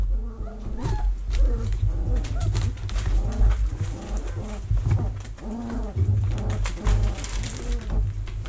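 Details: Vizsla puppies in their whelping box in early October 2020, while the box is cleaned and vacuumed. Several pups cry over one another in wavering, whiny squeals and yelps, with a steady low rumble underneath throughout.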